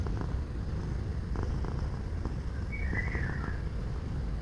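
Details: Cat purr, offered for relaxation, as a continuous deep rumbling vibration pulsing without pause, while a short high bird chirp rises over it just past halfway.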